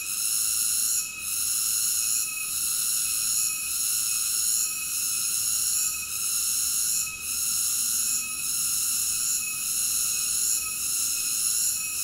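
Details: Cicada singing a dense, high electric buzz that swells and briefly dips at a fairly regular pace, with nothing else audible.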